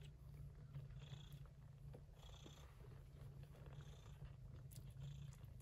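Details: Yupi, a gray Persian Chinchilla shorthair mother cat looking after kittens born during a September typhoon, purrs in a close, even, throbbing rumble with no break, under light rustling.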